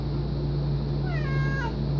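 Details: A very vocal pet domestic cat gives a single meow of about 0.7 seconds that bends downward at the end, heard over a steady low hum.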